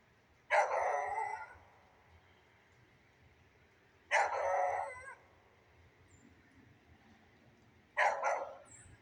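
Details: Beagle barking in the rain: three long, harsh, drawn-out barks, each about a second, spaced roughly four seconds apart, over a faint steady hiss.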